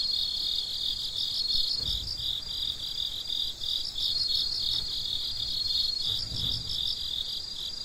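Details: Night crickets chirping in a continuous high-pitched chorus, rapid pulsed trills stacked in two layers, with faint low thuds at about two and six and a half seconds.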